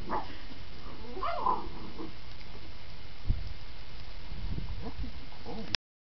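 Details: Clumber Spaniel puppies, eleven weeks old, one of a litter of five, give two short high whimpers in the first two seconds, then fall quiet over a steady background hiss with soft rustling and a single thump.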